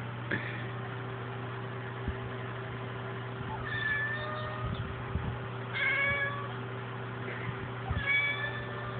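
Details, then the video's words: Pet cat Krystal, female, meowing at the television with no obvious cause; several drawn-out tonal meows spaced a few seconds apart, some rising then falling, with a constant background hum and faint bumps. "Krystal meowing at the TV (for no reason)"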